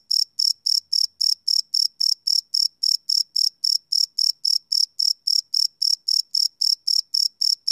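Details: Cricket chirping after dark, recorded live on a Sony PCM D100 field recorder: rapid, evenly spaced high trills, close to four pulses each second, in a quiet setting.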